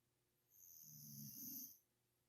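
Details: Molly the dog sleeping and snoring: one drawn-out, rough low snore lasting just over a second, swelling slightly toward its end, with steady faint hiss behind.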